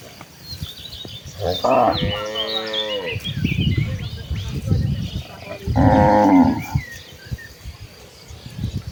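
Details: Tame cattle of a village herd walking toward rice fields to feed: two drawn-out moos, the second about four seconds after the first, over shuffling hooves and thuds, with birds twittering high above.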